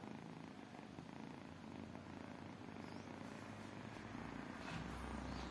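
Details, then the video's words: Tiny kittens keep up a soft rumbling purr, steady and low, while a deeper hum swells faintly near the end. "tiny kittens purring"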